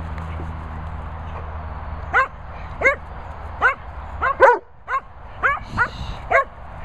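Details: Darling, a Cocker Spaniel kept with Bella Boo and Bernie, breaks a quiet start with about nine clipped, ringing barks at uneven intervals over a low background rumble.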